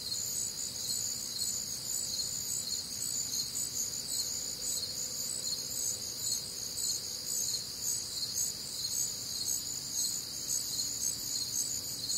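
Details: On a humid Midwestern summer night, crickets keep up a continuous high-pitched trilling chorus, several overlapping bands of rapid pulses that never pause, with a faint low hum beneath.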